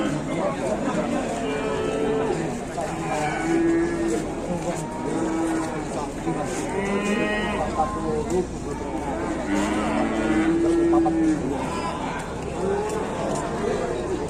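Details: Jumbo-sized cattle from Mount Telomoyo in Indonesia, on offer while buyers haggle over price: repeated deep, sustained moos, some rising then falling, spaced every few seconds across the stretch, with people talking throughout.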